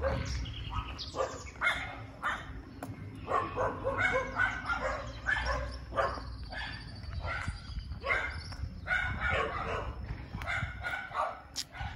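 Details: Several dogs in a suburb of San Isidro, Costa Rica, bark over one another in quick, irregular bursts, some deeper and some higher. A low traffic rumble and a faint steady high whine run beneath.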